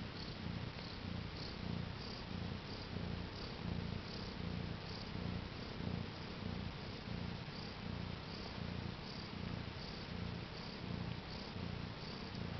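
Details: House cat just become a mother to four newborn kittens, April 2010: continuous low rumbling purr, pulsing regularly with inhale and exhale, little else audible.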